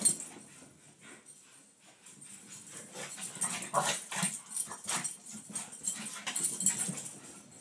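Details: Two Pekingese chase each other in play, zooming back and forth past a door, giving soft whimpers and snuffly grunts in quick, uneven bursts amid scuffling noise.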